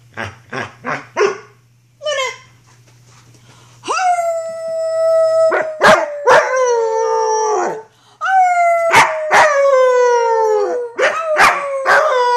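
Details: Rough-playing wolfdog puppy Luna, six to seven months old in 2013, starts with a few quick yips, then breaks into long sliding howls, each falling slightly in pitch, interrupted by sharp snapping clicks and short barks.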